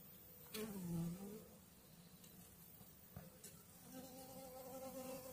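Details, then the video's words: Honey bee swarm on two frames, one of food and one of brood, in May 2022: a steady low buzzing hum with harmonic bands, briefly swelling and dipping in pitch near the start, with a few clicks and handling knocks. "Roiuri albina"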